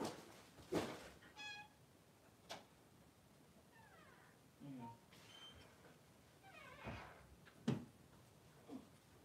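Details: Two newborn Blenheim Cavalier King Charles Spaniel puppies, male, 3 days old, in a puppy pen with their mother Pom-Pom: a series of thin, high, wavering squeaks and whines, some rising and some falling, scattered among soft rustling and thuds.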